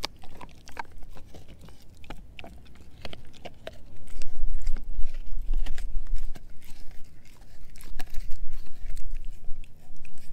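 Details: Edu, a German Shepherd mix dog, gnaws a dehydrated pig ear chew, giving irregular wet crunches and sharp cracking bites about three per second, with a low rumble swelling in the middle and again near the end.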